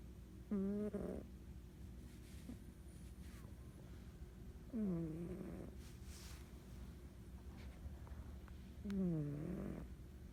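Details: A sleeping female house cat snoring, three drawn-out, wavering, nasal snores about every four seconds, each sliding downward, with softer breathing and low room noise in between.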